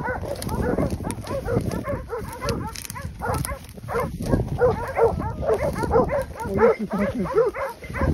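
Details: Hunting dogs in Pratomagno, Arezzo, Italy, holding a pack of wild boar at bay during a braccata drive hunt. The dogs bark dense and overlapping, in rapid bursts, while men shout instructions nearby.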